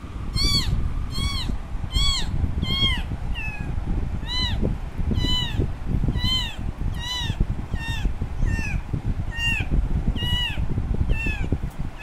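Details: Baby kitten left alone by its mother, crying loudly for her: high arched meows with bright harmonics, repeated about every second, over a steady low rumble of background noise.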